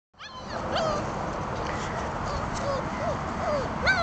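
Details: Several four-week-old German Shepherd puppies at a kennel on Long Island, New York, on their first day outside, giving short, high whines and yelps with falling and wavering pitch, scattered through a steady outdoor background hiss.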